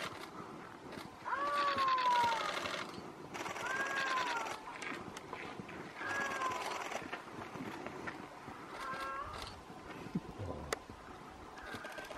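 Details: Rutting male Iberian lynx calling for a female in Sierra Morena; a series of long, mewing, downslurred wails spaced every two to three seconds, later calls fainter, with rustling and background hiss throughout.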